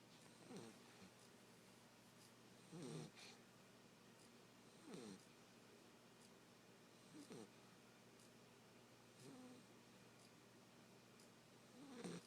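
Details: A 9-week-old Basset Hound puppy, out cold asleep on a couch, snores softly, with low rasping breaths repeating about every two seconds.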